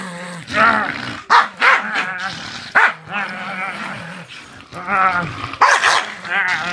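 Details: Female Staffordshire Bull Terrier, a trained pet, growling while playing as her owner stirs her up: loud throaty growls, snarls and short barking bursts in quick succession, with a man's voice in between.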